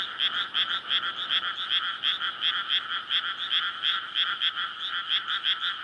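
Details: Frogs in a flooded rice paddy near homes and a road, calling on a May night to court and breed; a short burst of quick, grating croaks, nearly three per second, layered by many callers into a continuous rattle.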